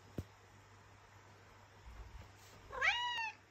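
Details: Maine Coon cat, described as really demanding this morning, vocalising at its owner indoors; after a quiet stretch with one sharp click, a single short harmonic meow rises and then falls near the end.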